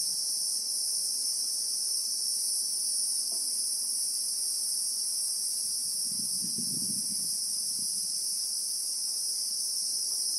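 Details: Christmas beetle (Anoplognathus) in South African bushveld with acacia trees, recorded in real time: an unbroken, shrill, high-pitched buzzing drone holding steady throughout, with a soft low rumble near the middle.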